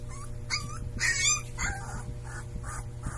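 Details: A Siberian Husky puppy gives short, high, wavering howls that rise and fall in quick bursts.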